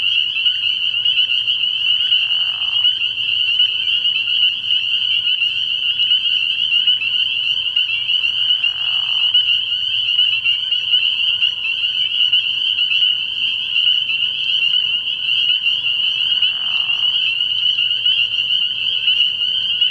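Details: Early-year frog pond at night, full of spring peepers: high, piercing peeps pile into a constant shimmering chorus, broken only by three short, lower raspy bursts spaced roughly seven seconds apart.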